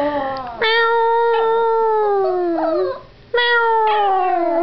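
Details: Young Yorkshire Terrier howling for the first time, set off by meowing: a long sustained tonal howl, wavering and slowly falling, a brief pause, then a second rising howl, loud and clear indoors.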